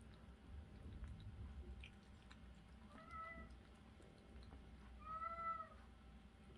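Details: Cherry, a rescued street kitten, one week after her rescue: two short meows about two seconds apart, the second louder with a gently arching pitch, over a low indoor hum.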